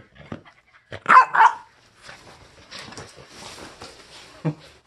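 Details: French Bulldog named Bori, playful after a bath, gives two quick sharp barks about one second in, followed by softer scuffling, rustling and a faint thump near the end.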